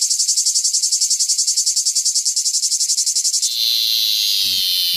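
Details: Cicada. A cicada sings a shrill, high-pitched buzz in fast, rhythmic pulses, several per second. After a few seconds the pulsing gives way to a continuous, even drone, with faint low thumps underneath.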